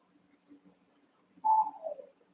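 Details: One-month-old Cavalier King Charles Spaniel puppies playing in a pen with their littermates; a single loud whine that starts high and slides downward, over faint low shuffling.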